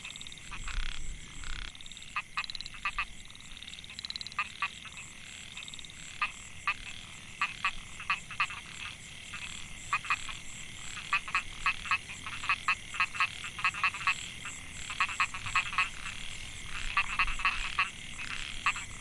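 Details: Narrow-mouthed frog (Microhyla pulchra) chorus in a rice field at Mae Hia, Chiang Mai, Thailand, recorded 2014; males call to attract females. Many short pulsed rasping calls overlap in dense irregular bursts, with a steady high insect hum behind.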